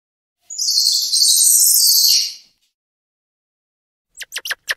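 A squirrel monkey gives a long, shrill, high-pitched squeal, then a quick run of sharp chirps.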